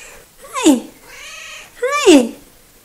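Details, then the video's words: Two clear meows from Coco, a chatty little female house cat recorded 03.02.2018, each sliding downward at the end, with a softer, steady murmured tone between them. "Conversations with Coco"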